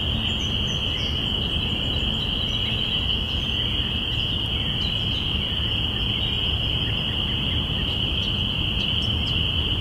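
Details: Spring peepers calling together on April 5, 2017, marking the beginning of spring, recorded binaurally. A continuous high-pitched wall of overlapping peeps holds steady throughout, with a few faint higher chirps scattered above and a low background rumble.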